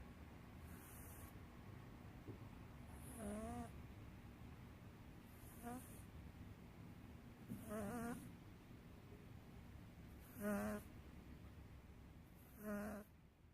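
A British Shorthair cat snores softly, each breath a low rasping rattle repeated every two to three seconds.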